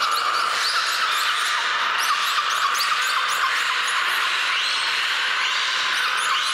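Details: At the Port of Nagoya Public Aquarium, belugas all start calling at once, very loudly, in a dense chorus of high chirps, squeaks and rising whistles.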